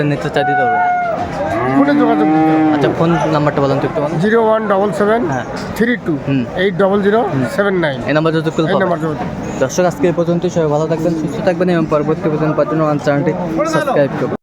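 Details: Friesian and crossbred bull calves at Aftabganj cattle market, Dinajpur, on 24 April 2024: a long, drawn-out moo with a low, falling tone opens the clip, then gives way to steady market chatter and voices of people.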